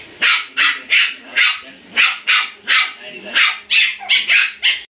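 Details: Fifty-seven-day-old Indian spitz puppies, two of them, play-fighting: a steady run of high, sharp yips about three per second, each short and bright, with faint scuffling in between.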